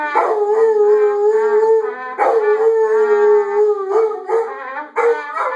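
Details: Several Labrador Retrievers howling along, as they do every morning during instrument practice: long, steady, mid-pitched howls with rich harmonics, each held nearly two seconds before the next begins.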